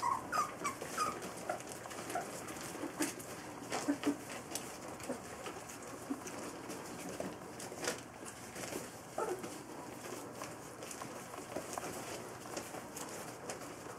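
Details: Three-week-old Golden Retriever puppies from the Foggy Bottom Farm 2015 litter at lunchtime with their mother. Brief thin high whimpers come in the first seconds and again near four seconds, over a steady bed of soft rustling and shuffling.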